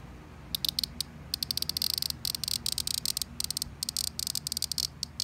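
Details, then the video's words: Cicada calling in loud, buzzy, high-pitched bursts that break off and restart several times a second. Short gaps of near silence separate the bursts, with a low hum underneath. "Cicada world loudest insect"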